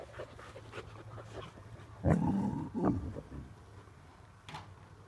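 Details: Samoyed dogs recorded on 26 June 2023; one loud, deep woof is followed by a shorter bark about a second later, heard over a steady low engine-like rumble.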